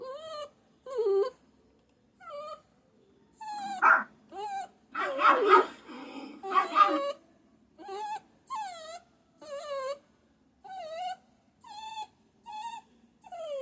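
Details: A puppy gives short high whimpers, each bending up or down, spaced roughly a second apart, with a rough noisy burst and a few louder strained cries in the middle.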